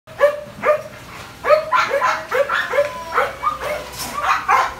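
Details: Belgian Malinois named Phola, almost two years old, giving a run of sharp, ringing barks, about two a second with brief pauses, each bark clearly harmonic and loud over a quiet background.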